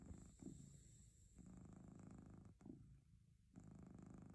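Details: Relaxed domestic cat purring, a low buzzing rumble alternating between stronger and softer breath phases roughly every one to two seconds, with a faint steady high tone behind it.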